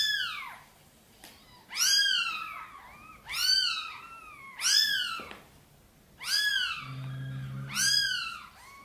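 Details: Mother cat Sonny meows softly, seeking help to carry her tiny kittens into the nest; five clear arched meows, some with a trailing second note, plus a brief low rumble near the end.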